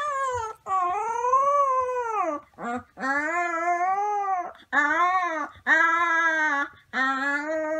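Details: Wolf pups howling in drawn-out harmonic notes, each swelling then gently falling and lasting one to two seconds, followed by a series of shorter howls separated by short breaths.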